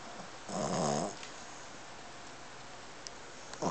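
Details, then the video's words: An 8-month-old Boston Terrier, a habitual snorer, gives one loud, rattling snore, followed by quiet breathing. "Pete The Boston Terrier Snoring"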